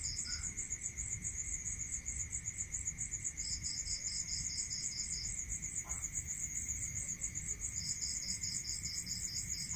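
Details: Night-time rural crickets give a continuous high, rapidly pulsed chirring, joined by longer bursts of a lower beaded trill lasting one to two seconds, all over a constant thin high whine and soft low rumble.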